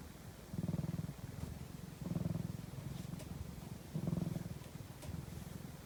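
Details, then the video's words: Cat purring during a nap: rhythmic, low, buzzing rumbles that grow louder in waves about every one and a half seconds, separated by softer purring, with no other sounds. "ひたすらゴロゴロ音を奏でるお昼寝中の猫｡Cat’s purring sound."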